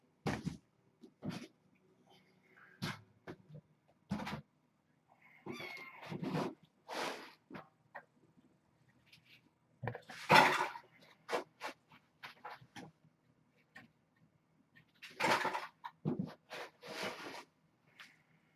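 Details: Kittens at play indoors on an April 25 evening, Ray and Egon wrestling among them; short, uneven meows come in scattered bursts between scuffling, thumps and handling noises.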